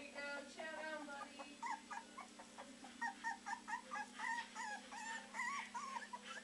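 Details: Three-week-old Beagle puppies at the Maryland SPCA shelter, back from foster care, practicing their howling: a litter of high, wavering yelps and short rising-falling bays repeated in quick bursts, several pups overlapping, with people talking softly nearby.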